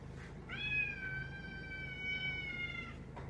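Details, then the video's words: Domestic cat talking to its owners indoors: one long, steady meow drawn out for over two seconds, level in pitch with bright, rich harmonics, over a faint low hum. "Cat's Talking to Their Humans"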